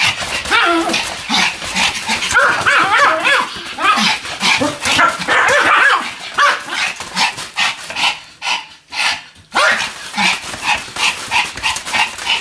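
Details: Fast, excited yapping from Pomeranian Sam, spinning about 155 times on a new mat on 24 November 2015. Rapid barks run together over a steady scratching patter, then stop briefly before resuming.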